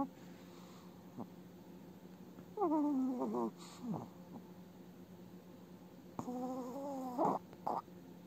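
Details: An elderly Chihuahua snores in her sleep with squeaky, whistling breaths that waver and slide downward in pitch; her eye movements suggest an active dream.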